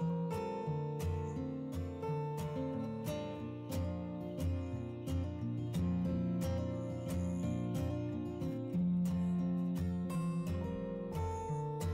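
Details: Strummed acoustic guitar music plays steadily throughout, with a regular plucked rhythm and no animal voices.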